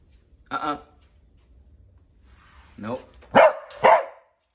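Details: Black and white purebred male Cardigan Welsh Corgi in California, USA, excited and struggling to wait at his gate during at-home training; a few short, sharp barks toward the end, with a person's brief spoken commands in a quiet room.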